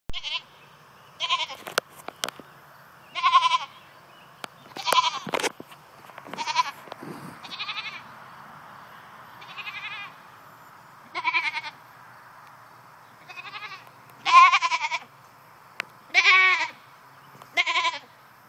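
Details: Goats in a new fence, unhappy at being kept there by themselves, bleating in loud wavering cries, about a dozen over eighteen seconds, some short and some drawn out, with brief clattering knocks in between.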